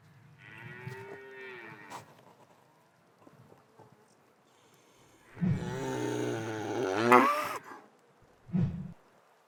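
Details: Black and white cow in a pasture, heard more faintly and unevenly: a soft early moan, then a louder wavering moo with rising and falling pitch near the middle, followed by a brief low grunt.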